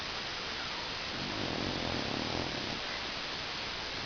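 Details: Loud snoring from Stanley the dog, one rough, throaty breath swelling in the middle of the stretch and fading away, with a constant hiss throughout.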